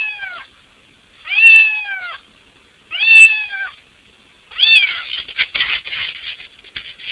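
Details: A house cat trying to get inside through a window gives three clear, descending meows about one and a half seconds apart, followed by rustling and scraping noises as it pushes at the opening.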